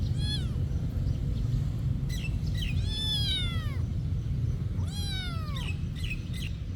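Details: Cat living at a monastery gives three clear drawn-out meows, each rising then sliding down, with a couple of shorter chirpy mews between them against a constant low hum.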